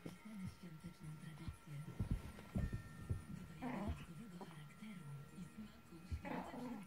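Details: A Maltese dog playing tug with a tug toy makes low, throaty growls in uneven bursts, broken by brief higher whines, while a person speaks quietly nearby.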